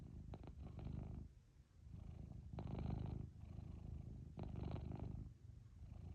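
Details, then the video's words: Domestic cat lying on its owner's lap, purring loudly: a low, rumbling drone in long breaths, each swell lasting about a second with brief quieter gaps between inhale and exhale cycles. "My cat lying on my lap purring loudly"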